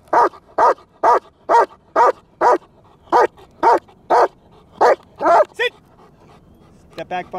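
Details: Trained German Shepherd barking in an evenly spaced run of about a dozen sharp barks, nearly two each second, ending in higher, whining yelps.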